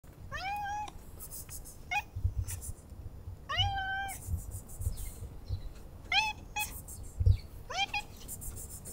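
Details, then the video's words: Male cat meowing for petting and attention while nibbling fingers, five drawn-out meows rising then falling, spaced about one to two seconds apart, over a soft low rumble and light handling noise. "Cat Purring for Petting and Attention"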